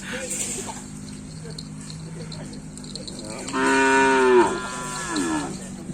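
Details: Cattle at a training session for karapan sapi bull racing in Tempuran, Java: a loud, harmonic-rich moo rises then falls and breaks off, followed by a softer second low call, over steady background murmur.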